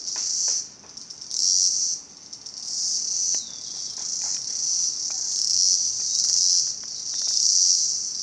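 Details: Cicadas in Salta: a shrill, high-pitched buzzing drone that swells and fades in surges about every second or two, with faint scattered clicks underneath.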